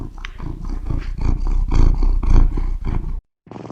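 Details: Close, loud cat purr: a deep rough rumble swelling and fading in quick pulses about three times a second, cut by a brief silent gap before it resumes.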